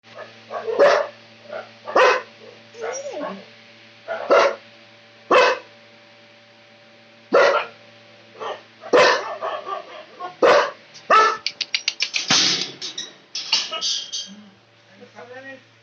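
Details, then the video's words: Dog barking loudly: sharp, harsh barks at first spaced about a second apart, then a rapid burst of quick barks near the end, over a steady low hum. "Dog barking loudly dog barking sound effect"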